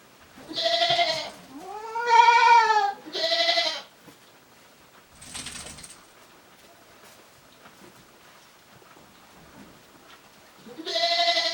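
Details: Ruminating goats passing time inside a shed at a small handmade goat farm in Japan, 29 January 2023; a quick run of three loud harmonic bleats, a soft rustle, long quiet, then another bleat at the end.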